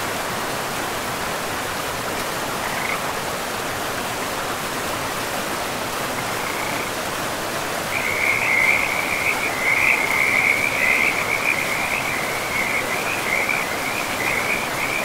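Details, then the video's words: Rushing river water in a pristine forest carries frog voices: a single faint croak early, then from the middle a rapid, continuous string of high, rasping calls at a steady pitch that stays loud to the end. "River and Frogs sleep sounds"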